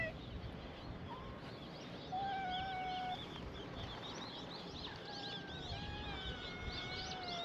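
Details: Several stray cats at a gathering on a cat island in Itoshima, Japan, mew together in welcome; overlapping thin, drawn-out, level meows rise and fade against a steady hiss of background noise.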